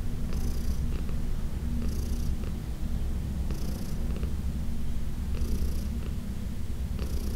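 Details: Massage session with Heidi, a senior cat adopted in 2019: loud, even low-pitched purring throughout, punctuated by airy inhalation-like hisses about every one and a half seconds.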